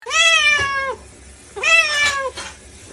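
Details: A domestic cat stuck in the floor meows twice, each call a long, clear, slightly falling wail lasting under a second, separated by a short pause, indoors with little background noise.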